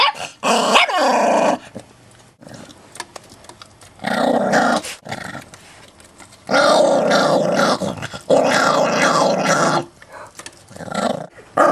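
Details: Chihuahua mix acting tough and growling over a bone indoors, friendly dog that has never bitten anyone; bursts of rough, snarling growls with rising yips, broken by short pauses, some music faintly behind.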